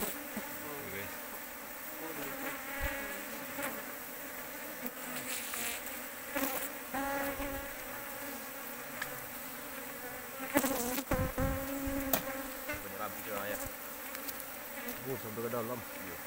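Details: Asian honey bees of a big colony discovered in an oil palm plantation. A continuous, layered buzzing comes and goes as bees pass, broken by clattering handling noises and bumps against the recorder.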